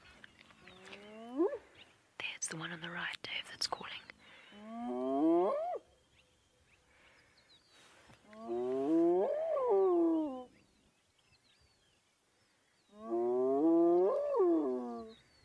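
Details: At sunrise on 5 June 2017 in Djuma Game Reserve, a spotted hyena deep in mud gives long, hollow, rising-then-falling whoops: a contact call answering another hyena whooping in the distance toward the mountain, not a territorial whoop.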